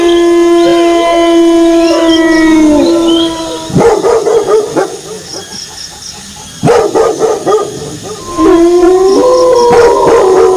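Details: Drawn-out wolf howl that slides gently downward before fading, followed by bursts of rapid dog barking, then a fresh steady howl rising again near the end.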